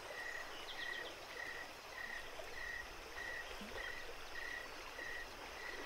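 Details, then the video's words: At night by a creek at Jacobs Creek, crickets repeat clean high chirps at a regular pace, about every 0.6 seconds, over soft, steady running water. "creek and crickets night time"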